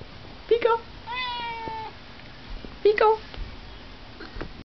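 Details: Chatty house cat talking indoors: short chirped mrrp sounds alternate with a long steady meow, then another clipped trill, all within a few seconds, plus soft background thumps.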